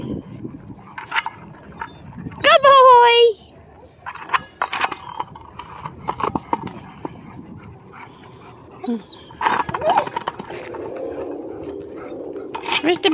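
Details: German Shepherd puppies Rebel and Rogue, learning to be with the pack, outdoors; a loud, sharply falling whine with stacked harmonics near the start, a few short yelps, then a man talking and background rustle.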